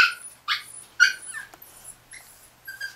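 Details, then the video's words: Tiny Chihuahua puppies, four days old, beside mother Bess in Fredericksburg, Virginia, give short bright yips and squeaks in bursts about every half second, then softer scattered whimpers. "Bess' Chihuahua Puppies"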